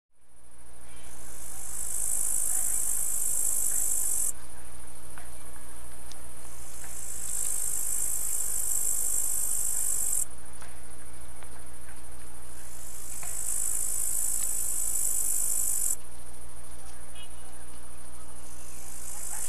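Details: Songs of tailed and green grasshoppers: long, very high, hissing trills lasting about three seconds each, separated by pauses of two to three seconds, with a steady low hum beneath.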